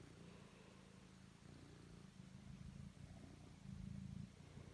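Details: Kneading house cat Totto gives a continuous low purr, rhythmic pulses swelling louder toward the end.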